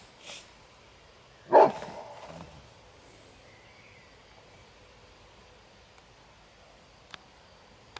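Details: Kuvasz at a Kuvasz cup working trial, defending its territory and its owner's property; a single sharp, loud bark rings out early, trailing off briefly. Faint clicks follow over otherwise quiet outdoor background.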